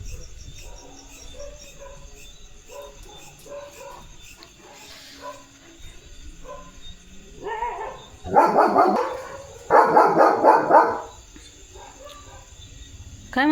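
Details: Leo, a German Shepherd on his farmland, is quiet at first with faint soft sounds. Then come two fast bursts of rapid, loud, repeated barking, each lasting about a second, with a short pause between them.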